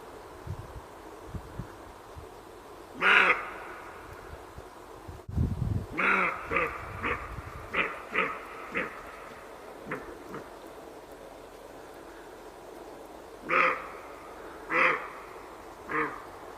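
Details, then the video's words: Roe deer calling in a run of short, rough, barking notes: one isolated call, then a quick irregular string of about seven, and three more spaced a second apart near the end, over low rumbling noise. "ROE DEER SOUND EFFECT 노루 울음소리"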